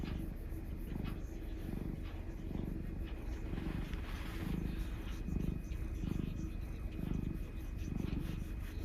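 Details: Black cat being affectionate (a black mix male called Mugi, living indoors): a deep rhythmic purr in regular pulses about every three quarters of a second, with faint rustling and room hum behind.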